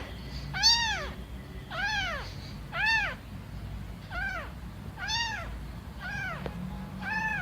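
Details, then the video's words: Kittens and cats meowing: seven short arched meows, each rising then falling, repeated roughly once a second, with a low background hum beneath. "Мяуканье котят,кошек, кота мяуканье Сборник HD. Kittens meowing,cats meowing Compilation HD."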